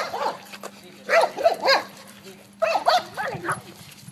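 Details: Dog on a lead barking in two bursts of three or four rough barks, over a steady low hum and background noise.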